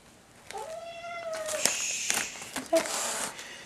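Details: Domestic cat reacting to catnip indoors, giving a drawn-out, slightly falling harmonic meow of about one second, followed by a short second cry amid handling noise and a person's soothing speech.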